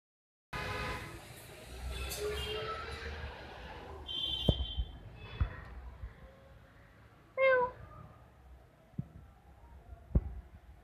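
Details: Angry cat in a fighting mood, giving drawn-out harmonic yowls and moans over the first seconds, then a brief sharp cry near the end, with scattered clicks and a person's short calls.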